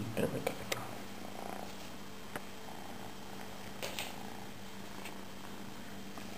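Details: Domestic cat purring: a steady low rumble runs through the whole recording, broken by soft clicks and faint rustles in a quiet indoor setting.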